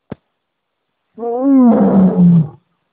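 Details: Lion giving a single drawn-out moaning roar of about one and a half seconds. It starts rough, swells in the middle and sinks slowly in pitch, after a brief click and silence.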